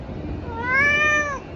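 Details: Spoiled tabby cat at treat time lets out one clear meow that rises gently and tails off slowly, nearly a second long, over a soft steady room hum.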